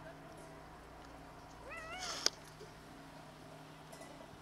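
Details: A single short rising-falling meow from one of eight hungry colony cats at feeding time, followed by a sharp click, over steady low background hum.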